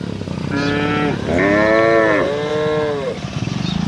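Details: Cows out on the road calling their herd: three long, steady moos follow one another almost without a break, then a pulsing mechanical rumble takes over at the end.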